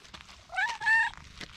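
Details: Calico cat approaching and asking for food with meows and trills; a bright, strongly harmonic meow rises briefly, dips, then holds steady and clear for about a quarter second before stopping, with soft taps and rustles around it.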